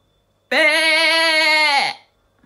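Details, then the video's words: One long quavering sheep bleat, nasal and tremulous, lasting over a second before fading. Sheep give this 'beh' call when they want something, such as food or their lamb, or to show off. "Beh, bah, beh Real Sheep Sound Effect"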